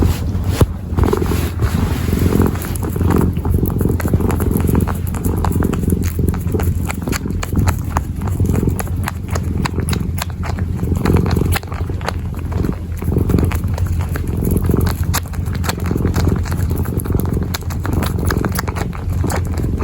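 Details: A kitten kneads and purrs close to the microphone; a low continuous rumble sits beneath dense, rapid scratching and clicking from its paws, which dominate much of the recording.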